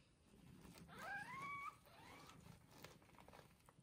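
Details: Newborn kittens one day after birth, with their mother cat in a soft, comfortable indoor bed: a thin, rising mew held about half a second, then a fainter, shorter second mew, over low rustling.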